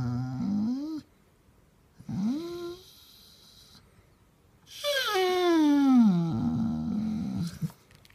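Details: Grumpy basset hound demanding attention with drawn-out moaning vocalizations: two short rising groans, then a long loud howl-like moan that slides downward and trails into a low grumble, in a quiet room.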